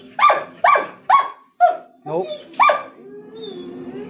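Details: Barking from a German Shepherd and Rottweiler mix eager to go outside for a doctor visit: a quick volley of loud sharp barks, a short yelp, then one more bark and a long low whine.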